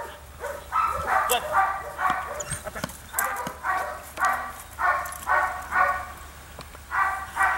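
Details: Female Belgian Malinois attacking in civil drive training, letting out rough, strained barks at about two per second, each a short harsh burst, with sharp knocks and faint background noise between them.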